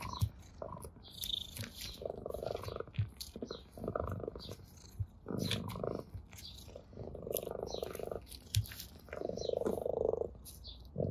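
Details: Orange tabby cat purring with pleasure while batting a blade of grass; intermittent pulsed purr bursts among frequent rustling, thumps and chewing-like clicks from the play.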